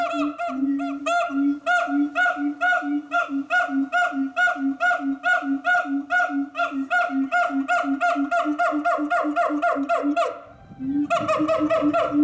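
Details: At Chiba City Zoo a siamang calls in rapid repeated hoots, roughly two per second, accelerating into quick barking notes before a short pause and a renewed burst.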